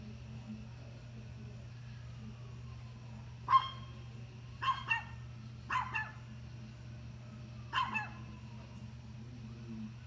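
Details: Dog barking at deer: four loud, sharp barks spaced one to two seconds apart in the middle of the recording, some doubled, over a steady low hum.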